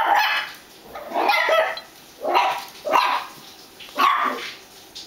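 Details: Domestic dog barking at its hot dog squeaky toy: five loud, evenly spaced barks roughly one per second, each short and rough.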